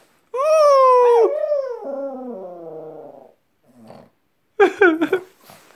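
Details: Wolf-like howl from a pet dog: a loud, sustained tone slowly falling in pitch, then a softer, lower drawn-out moan with small breaks. A short quiet pause follows before a burst of quick, rising yelps.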